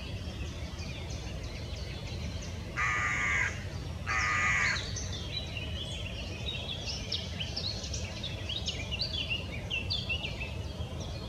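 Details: Two harsh, rasping barks, each under a second and close together, from one of a pair of roe deer, over soft birdsong.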